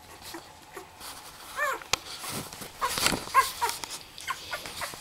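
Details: Twelve-day-old Labrador Retriever puppies from Angel's 2009 litter give brief, high, thin whimpers and squeaks, a few arching whines scattered through the clip, with soft rustling and shuffling between them.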